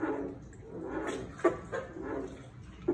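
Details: Farmed American bullfrogs give low, moaning, droning calls in irregular bursts, with a few sharper grunts.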